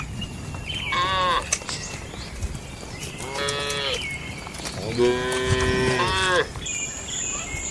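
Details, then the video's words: Cows in their village shed at night giving three drawn-out moos, the last longest and deepest at over a second, with a steady high electrical-like whine and scattered clicks in the background. "Suara Malam di Kandang Sapi Lembu"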